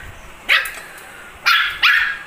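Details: Angry puppy barking while fighting: three sharp, high yappy barks, one alone and then a quick pair about half a second apart, over a faint steady background hiss.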